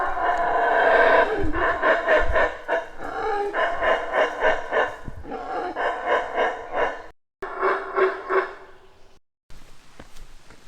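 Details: Monkeys around visitors at the Maya site of Tikal, Petén, Guatemala, give low, gravelly, throbbing roars pulsing several times a second, swelling and fading in long bouts like a purring jaguar, with brief pauses.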